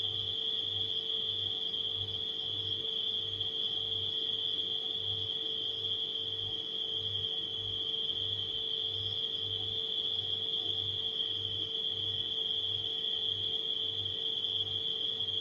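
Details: Crickets at night mixed with a humming refrigerator, heard as an unbroken high-pitched ringing trill over a constant mid drone and rapid, regular low pulses from the appliance.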